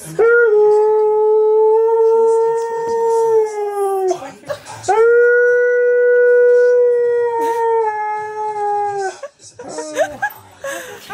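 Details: A talkative male Husky sings indoors, confusing his cousin Ivy. Two long, even howls of about four seconds each, separated by a short break. Each tails off downward, followed by a few brief yelps and rustling.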